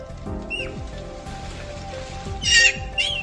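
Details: A wild Japanese macaque at a cliff-and-sea monkey park in Kochi, Japan gives a brief falling squeal, then two short harsh high shrieks, likely a young male's alarm call aimed at a human; background music throughout.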